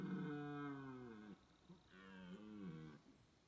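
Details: Red deer bellowing in the rut: a long, deep, harmonic moan that slides downward over about 1.3 seconds. After a short pause comes a second, shorter bellow that rises and then falls. Only faint background noise is present.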